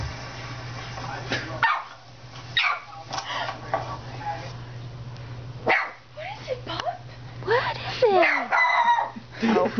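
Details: Pet puppy indoors barking at a television showing another dog barking; sharp, uneven barks in bursts, overlapping barks from the screen, with people talking and exclaiming throughout.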